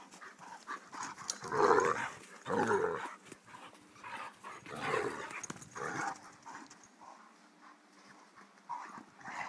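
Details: Playing Irish Wolfhounds Connor and Margo, three years old, give louder throaty growling huffs in several drawn-out bursts, then quieter panting and shuffling.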